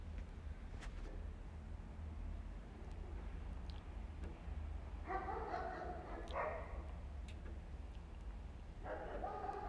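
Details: Homeless mother cat living on an Istanbul street forcefully cleaning her kittens; a few drawn-out, harmonic meows arrive near the middle and again at the end over a steady low traffic rumble, with a person speaking softly nearby.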